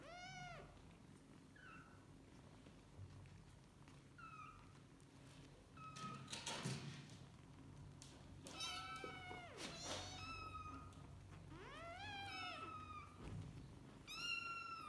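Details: Kittens with their mother cat calling repeatedly: about a dozen high, bending meows, some rising then falling, coming roughly every second or two, with a few faint squeaks and low room hum between them.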